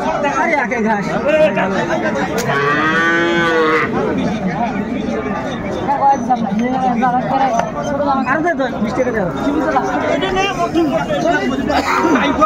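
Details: Sahiwal bull calves being bought and sold at Ambari market in Dinajpur, Bangladesh, on 20 January 2025: one long, loud moo early on, then dense crowd talk and market chatter throughout.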